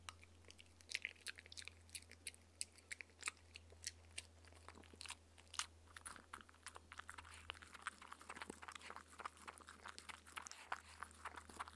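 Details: A 15-week-old Shetland sheepdog puppy eats and drinks goat's milk noisily, making rapid, sharp crunches and wet clicks in an irregular stream, with a steady low electrical hum underneath.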